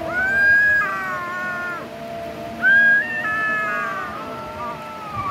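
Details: Young kitten eating raw chicken, giving two long plaintive meows that start high and step down, then a lower, fading mew, over faint background hum.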